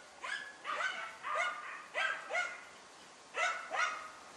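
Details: German Hunting Terrier Dunja barking while hunting a wild boar: sharp, high, harmonic barks in pairs and short bursts, about seven barks over four seconds with brief pauses, over quiet background.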